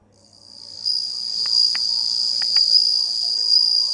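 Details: A bell cricket on 27 August 2020 produces a continuous, high, pure ringing tone that swells in and holds steady. A few faint knocks sound in the background.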